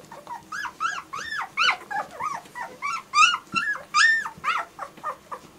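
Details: German Shorthaired Pointer puppies whimpering indoors: a steady run of thin, high whines, each rising then falling, about two per second, overlapping at times, with faint room noise.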